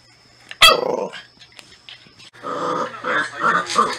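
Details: Natsume, a Norfolk Terrier, gives a single sharp bark that trails off. A short pause follows, then a series of throaty, pulsing growls in uneven bursts.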